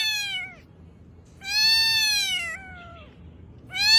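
A domestic cat gives drawn-out, slightly falling meows, separated by short pauses.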